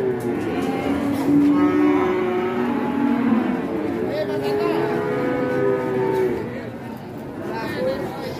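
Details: Agitated sacrificial cow unloading from a truck at Siyono Harjo market, giving sustained low moos that bend and slide in pitch, mixed with people talking and general market bustle.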